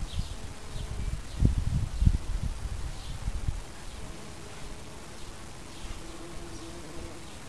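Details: Bees foraging in an English wild flower garden: a low droning buzz swells and pulses over the first three seconds as insects pass close, then settles to a faint steady hum, with soft distant bird chirps above.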